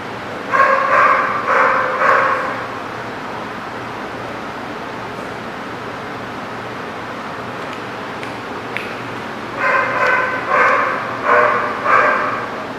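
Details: Dog barking in bursts of quick, yelping barks, three close together, then a long quiet stretch with background hum, then another run of four or five barks.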